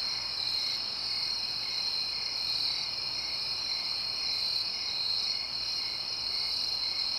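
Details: Crickets chirping at night in the suburbs, with quiet distant traffic. A steady, piercing insect chorus of rapid trills fills the whole stretch, with faint rhythmic pulsing in the top notes.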